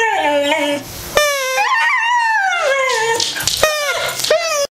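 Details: A 17-month-old Siberian Husky 'talks' in a run of drawn-out, wavering howl-whines, tilting its head and answering a whistle.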